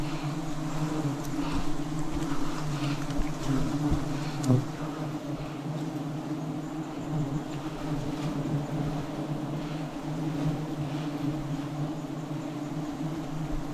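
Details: Wild bees during a forest honey harvest, a dense steady low hum with a second overtone running unbroken throughout, with faint crackles and rustling behind it.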